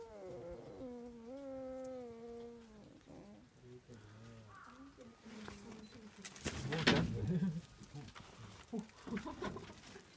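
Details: Foxes at Zao Fox Village in Japan in winter, starting a fight: a drawn-out, whining, harmonic wail for about three seconds, then quieter grumbles and a sudden harsh, noisy burst near the seventh second, with scattered scuffling sounds after.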